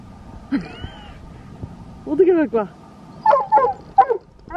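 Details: Dobermann at night in an empty park, greeting its owner's brother after ten days apart; short rising-falling whines and yelps come in quick bursts, mixed with people talking nearby.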